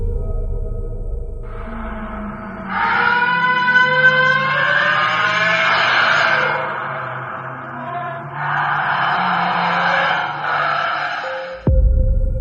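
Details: Whale vocalization played as a sound a diver might hear entering the ocean: layered tonal moans and rich harmonic wails, some rising and sliding, lasting several seconds each, with low rumbling underneath and an abrupt cut near the end.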